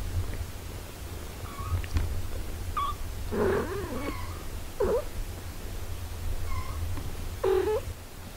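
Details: Domestic cat, a mother caring for her six-day-old kittens; short mews that rise and fall, a drawn-out wavering call near the middle, then scattered brief chirps, over a low steady hum.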